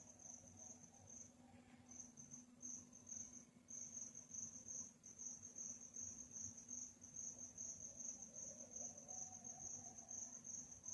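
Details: Crickets chirping at night, a high, shrill pulsed trill that briefly drops out near the start, then carries on steadily, with a low hum beneath.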